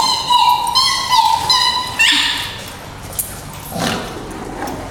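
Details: Two dogs wrestling in play, pup fun: a long, high, nasal whine wavering and rising in steps over two seconds, then fading into softer scuffling and a few faint yips.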